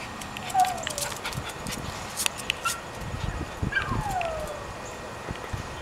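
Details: Female dog calling from the house for her friend down the street: two drawn-out whines, each sliding downward and lasting about a second, with a brief sharp sound between them and quiet background noise.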